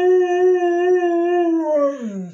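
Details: Howling house dog answering a person's talk with a sustained, even howl that gradually sinks and trails off into a low, falling tail.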